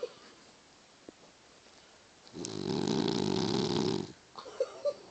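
A sleeping Boston Terrier gives one long, rasping, rattling snore on the in-breath.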